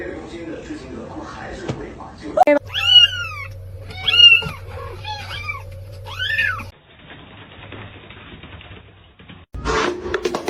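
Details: Domestic cat from a funny cat compilation giving a run of about four loud, arching meows, each rising then falling, spaced roughly a second apart over a steady low hum, with muffled noise before and a sharp burst after.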